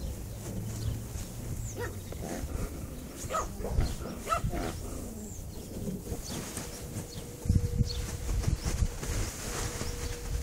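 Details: Cocker Spaniel puppies from one litter, playing in a garden, give short, squeaky yelps and whimpers over a rumbling, handled background.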